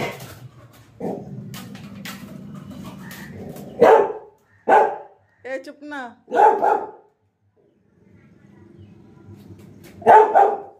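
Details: Pet Labrador Retriever Lily, whose apple has fallen, gives four loud, short barks spread over about ten seconds, with a low rumbling growl beneath and a person's voice talking in between.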